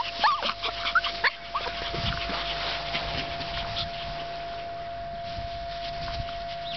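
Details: Shih Tzu Maltese mix puppies at play give a few short, high whimpering yips with bending pitch in the first second and a half, followed by scuffling play noise, over a steady electrical hum throughout.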